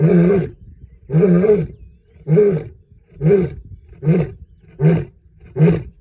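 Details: A lion in the Serengeti roars in a run of seven deep, rasping grunts about a second apart, each one growing briefer. No other sounds compete with the heavy, rumbling calls.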